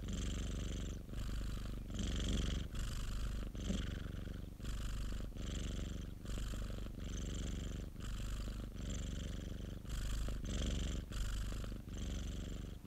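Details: Popo, a domestic cat kept by a friend, purrs continuously in a low rattling drone, breaths cycling about once per second, even in loudness throughout with no other sounds.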